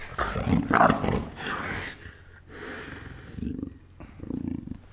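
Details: Two black leopard brothers fighting, giving rough, throaty growls and snarls in uneven bursts, loud at first, then quieter rumbling pulses, with background noise throughout.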